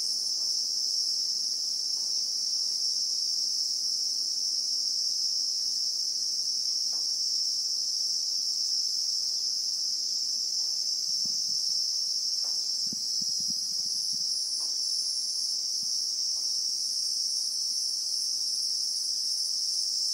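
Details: Christmas beetles (Anoplognathus) in South African acacia bushveld, recorded in real time: a ceaseless high, ringing drone, with a brief cluster of low knocks and rustles around the middle.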